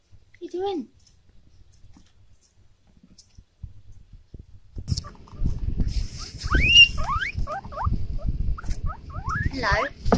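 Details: Two young male guinea pigs give repeated high, rising squeals over rustling and handling noise, excited because they hear a bag and expect food.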